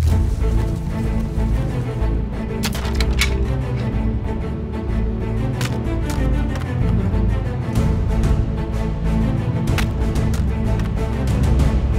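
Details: Dramatic instrumental music with deep percussive hits plays throughout, with no animal calls. Low tones dominate, broken by sharp broadband strikes.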